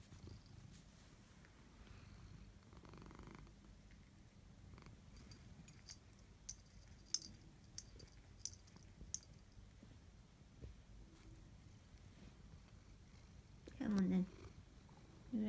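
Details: Tabby cat at bedtime, purring softly and steadily as a low continuous rumble for most of the recording, with a few faint clicks and a short, louder voiced sound near the end, indoors.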